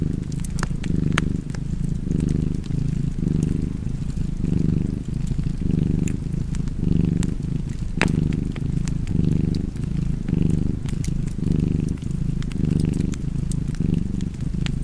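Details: Cat purring steadily beside a crackling fireplace, a low rumbling drone that swells and eases in breathing cycles roughly once a second, with sharp pops and snaps from the fire scattered throughout.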